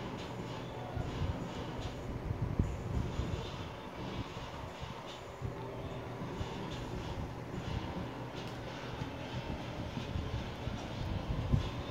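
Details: Steady low rumble of a vehicle or train fills the recording, with faint knocks and no animal voice.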